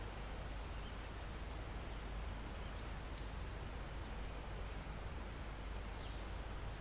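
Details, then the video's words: Mountain-forest crickets recorded live almost at the top of the mountain: three high trilled pulses, the middle one stretching over a second, set against a constant insect hiss and a broad rustle of wind through the trees. "Calm Forest in Mountain With Crickets, Insects Sound"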